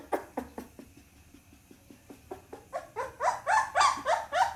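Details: Pit Bull puppy: faint soft ticks and small whimpers at first, then louder high yelping cries building in strength and pace during the last two seconds.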